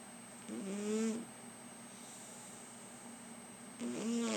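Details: Domestic cat snoring while lying on a lap: two rasping, buzzy breaths with slightly rising tone, each under a second, separated by about three seconds of quiet, with a faint steady high whine in the background.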